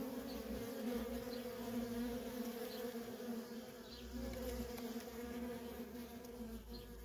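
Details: Worker honey bees in nonstop traffic at a feral colony: a dense, steady drone of overlapping wingbeats, humming low and even throughout, with faint soft low rumbles beneath.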